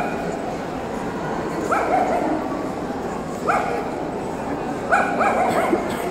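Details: Tibetan Terrier at the Euro Dog Show 2018: sharp, high barks come singly or in quick pairs about every one and a half seconds, over a steady indoor hall murmur of crowd noise.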